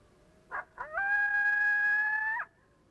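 A coyote gives two quick yips, then a steady, even-pitched flat howl that ends with a brief upturn.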